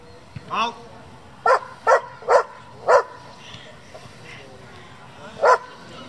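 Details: German Shepherd from a breeding and competition group, giving a few sharp barks: a cluster of four within about two seconds, then one more after a pause, with faint voices and noise between.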